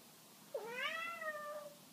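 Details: Birman cat giving one drawn-out meow of about a second, jumping up sharply, then gliding slowly downward in a clear, richly harmonic tone over a quiet indoor background.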